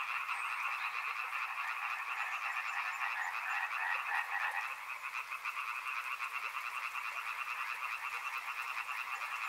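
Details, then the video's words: Chorus of many frogs at a river, a continuous rapid rattle of overlapping croaks that swells slightly near the middle and then carries on evenly to the end. "Frog Sounds | Soothing sounds of river and frogs"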